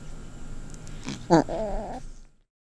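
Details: Lil BUB, a pet cat, squonking indoors with her unusual vocal sound, distinct from her purr and her own version of a meow. A short grunt comes first, then a wavering, nasal, trilling squeak lasting under a second, over low room hum.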